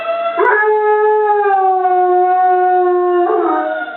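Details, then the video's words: Molly, a pet dog, howls along with a tornado siren: a long, steady, tonal wail held for about three seconds, with a brief rise at the start and a sliding shift near the end. "Molly vs. Tornado Siren"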